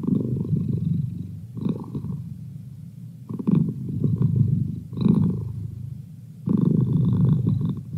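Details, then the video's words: Domestic cat named Merlin purring as a study companion: low rumbling purr in bursts of a second or two, rising and fading with each breath, quieter gaps between. "Cat Purr"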